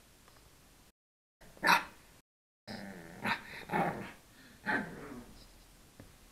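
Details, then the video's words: Young pug, three months old, trying to bark, recorded on an SJ4000 camera: one short, sharp yap, then a run of raspy, growly barks and huffs over a few seconds, with steady low background hiss. "Pug Puppy Barking"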